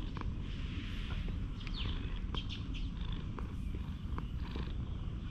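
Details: Stray cat purring, unable to resist being groomed with a ねこじゃすり cat brush; a steady low rumble runs throughout, broken by short brushing scratches and a few faint higher sweeps.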